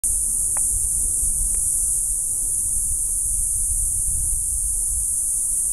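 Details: Two cicadas sitting in a tree outside a house in southern Arizona sing a steady, high-pitched buzzing drone that never pauses.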